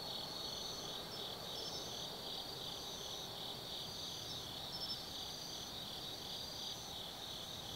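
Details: Autumn night insects in a forest at Tsukimi Forest, Gifu Prefecture, Japan, overlooking the Nobi Plain: dense high-pitched stridulation, rhythmic beating trills and brief thin upper notes repeating, with faint distant low noise beneath.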